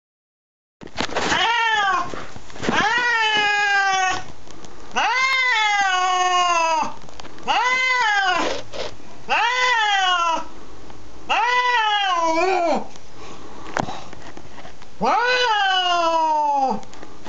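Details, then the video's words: A Siamese cat facing off against a neighbour's cat gives loud, drawn-out, nasal meows, each wail bending in pitch, repeated every couple of seconds. "Very Loud Siamese Cat Talking"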